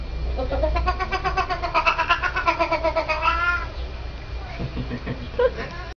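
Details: A cat giving a rapid, stuttering run of harmonic yowls, about eight pulses per three seconds like machine-gun fire, wavering up and down, then a short quieter meow near the end over low background rumble.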